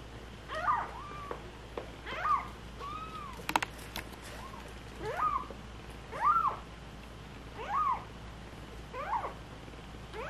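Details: Rescued stray cat family, kitten giving clear arched meows roughly every second, each a quick rise and fall, with a brief sharp clatter midway and low background hum.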